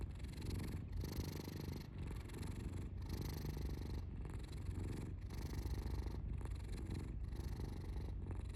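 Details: Domestic cat's rhythmic low purr, inhale and exhale phases alternating roughly every second, steady and unbroken throughout.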